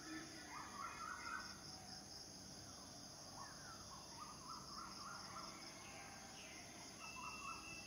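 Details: Cicadas, males singing to attract mates, make a steady high droning hiss in two continuous bands. Birds add short warbled phrases and chirps throughout.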